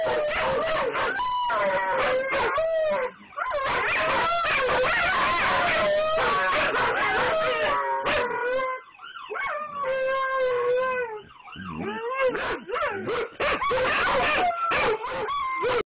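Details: Several Siberian Huskies howling together loudly, long wavering tones rising and falling in pitch, voices overlapping with short yips and breaks, nearly continuous for about sixteen seconds.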